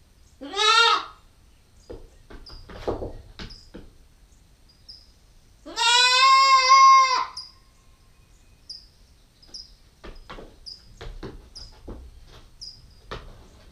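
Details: Nubian goat kid, female and nine weeks old, caught on a GoPro stakeout: a short bleat at the start, then a long steady harmonic bleat near six seconds, with soft clicks and faint chirps around.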